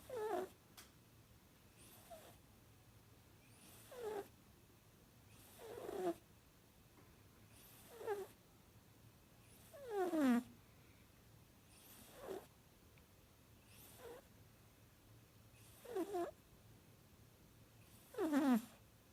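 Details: Chiweenie puppy asleep and snoring: ten squeaky, whistling snores, each sliding downward in pitch, repeat steadily about every two seconds over a faint low hum.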